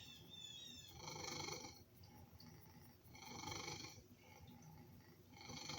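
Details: Male pet cat begging for food with a loud, snoring purr: a deep vibrating rumble beneath strong hoarse breath bursts repeating about every two seconds.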